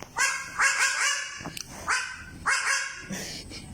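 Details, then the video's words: Baby goat in the Philippines giving short, hoarse bark-like calls that sound like a dog, with sharp harmonic bursts, three or four barks in quick succession, each separated by brief pauses. "BABY GOAT WITH IDENTITY CRISIS | Thinks that he is a dog"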